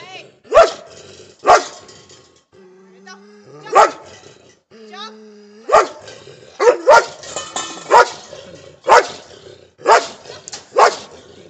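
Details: German Shepherd barking together with a Belgian Shepherd; loud, sharp barks about once a second, some doubled in quick pairs, with a brief spoken voice and tonal hum between barks.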